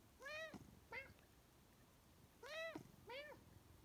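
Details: Scarlett, a talkative Siamese cat, in a meowing dialogue with her owner asking for more kibble: four clear, arching meows in two pairs, each rising then falling, in a quiet room.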